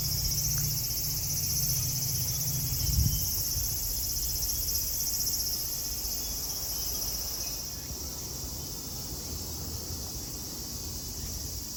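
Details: Many cicadas droning at Kozoji Temple in Yana, Kisarazu, Chiba, Japan, an unbroken high sizzling buzz; a low engine-like hum sounds during the first three seconds, then only the insect chorus over soft background noise.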